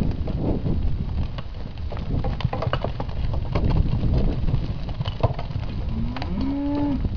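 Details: Lot of 54 calves, Hereford and Hereford x Limousin crosses born in winter 2012. A steady rumble of hooves and movement, then near the end a short rising moo followed by a longer level call.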